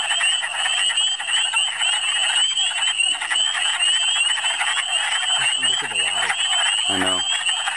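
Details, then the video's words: Wood frogs in a spring chorus in Michigan, a species occurring in big numbers: dense overlapping clucking calls fill the whole stretch, with a man's voice briefly audible near the end. "Michigan Spring Amphibians: Part 3"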